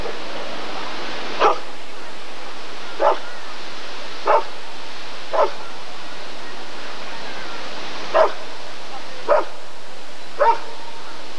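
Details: Rottweiler at a 1994 ADRK breed survey (Körung) barks seven times, single clipped woofs with uneven gaps of one to three seconds, over a low steady hum.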